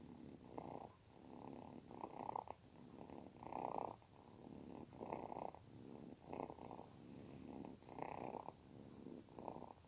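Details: Purring kitten, a continuous low rumbling throb rising and falling roughly once a second, a soft constant hiss behind it.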